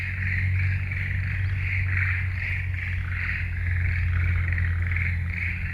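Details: Frogs calling in a forest: a dense chorus of pulsed, mid-pitched croaks that swell and fade in rapid beats about twice a second. A steady low hum runs underneath.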